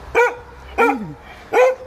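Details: Giant Schnauzer named Vito barking while playing, three sharp harmonic barks spaced about two-thirds of a second apart, each with a short trailing tone; quiet room otherwise.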